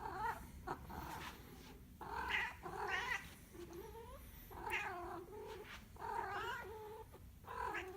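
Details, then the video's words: Domestic cat caterwauling in drawn-out, wavering yowls, roughly one each second, each call bending up and down in pitch over a low steady rumble. "Кот баран"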